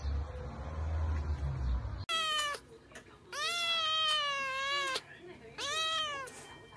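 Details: Siamese cat talking and playing indoors, giving long drawn-out meows with rich harmonics, first a short one, then a sustained rising-falling call of about a second and a half, then another arched meow; steady background hum before.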